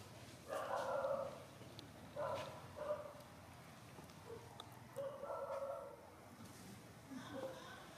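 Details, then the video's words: A big monkey's calls frighten the baby monkey Saro among free-living monkeys on a mountain: loud, harsh, harmonic bursts, some drawn out and some short, in four groups spread over eight seconds, with faint background rustling. "When baby monkey SARO is scared the sound from the big monkey makes his face and action so cute."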